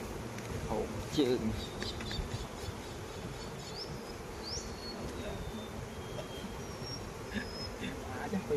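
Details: At a Khmer farm in the flowering season, honey bees fill the air with a low, constant buzzing. Brief high bird chirps and short whistles cut through above it, and a voice murmurs faintly at the start.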